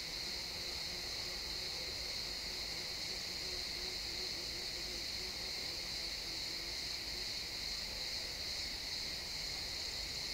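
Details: Chirping crickets fill a pine forest at sunset with a constant high shimmering chorus, two steady tonal bands persisting throughout, over a soft low hum, captured as a real-time XY stereo recording.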